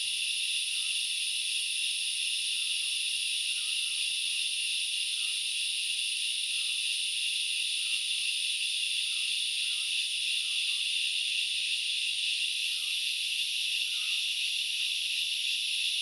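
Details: Grasshoppers at Knuckles Reserve in Sri Lanka's Central Highlands make a steady, high-pitched hissing buzz that never breaks, with faint short chirps behind it.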